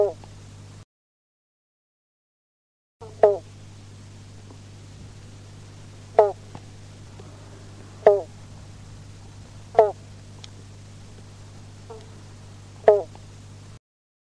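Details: At a local pond in Mandurah, Western Australia, a western banjo frog (Limnodynastes dorsalis) gives short, twangy 'bonk' notes like a plucked banjo string, every few seconds.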